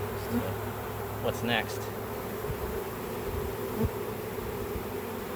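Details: Back-yard swarm of honey bees being captured for a keeper's hive: a steady, thick buzzing drone fills the recording, with a few brief faint knocks and rustles.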